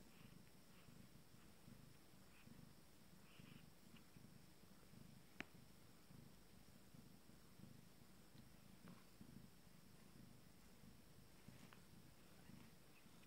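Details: First-litter Abyssinian kittens at 19 days purring during feeding time; continuous soft low purring with a single sharp click midway and faint rustling.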